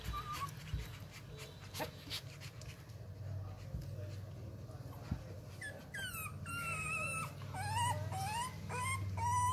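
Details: Several Rottweiler puppies, eleven days old, at a Vietnamese dog kennel, ravenous before mealtime and fed extra milk since the mother is short of it; a quiet, muffled start, then a rush of rising, wavering whines growing louder toward the end.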